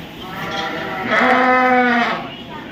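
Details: One steady, drawn-out sheep bleat of about a second, even in pitch, heard over soft crowd noise at the Royal Winter Fair 2023 in Toronto, Ontario, Canada.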